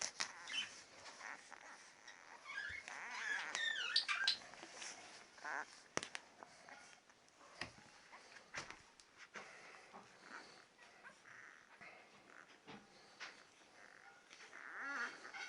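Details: Ten-day-old Labrador Retriever puppies indoors giving thin, high squeaks and wavering whines, clustered around the third and fourth seconds, then scattered faint peeps over soft rustling and handling noise.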